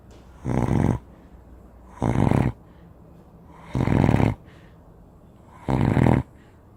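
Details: A huge Spanish Mastiff sleeps and snores, four grating, vibrating breaths at somewhat uneven intervals of one and a half to two seconds, deep and rumbling with quiet gaps.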